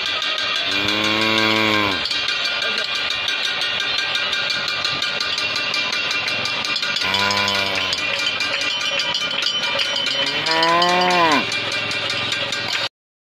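A cow moos three times, low and drawn-out, over a steady bright clatter like bells or music.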